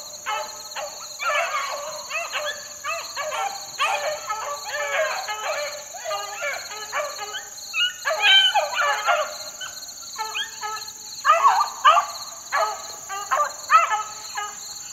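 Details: Young beagle pups about four months old working in the wild on a dry morning, giving bursts of high, yelping bay notes that overlap and repeat in ragged clusters, with a steady high electronic tone running throughout.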